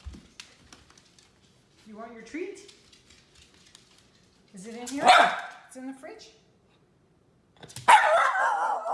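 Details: Miniature red poodle Teddy Bungoo demands a treat with sudden loud, harsh barks spaced several seconds apart, between calm human speech urging him to sit and noting he is too excited.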